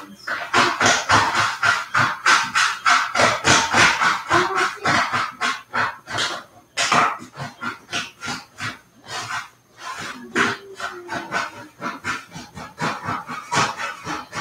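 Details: Cavalier King Charles Spaniel puppies raised indoors, playing together in the house; a dense run of short, sharp yips and barks, about three per second, with brief tonal whining notes and scuffling between bursts.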